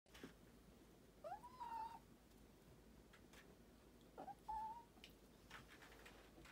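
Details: Kitten, tagged as a street cat, walking on two legs: two short, soft, rising meows about three seconds apart, with quiet indoor background and faint rustling.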